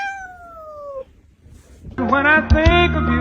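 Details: Cat from a funny cat compilation giving one drawn-out meow that slides steadily downward for about a second, then a brief quiet gap before loud music takes over.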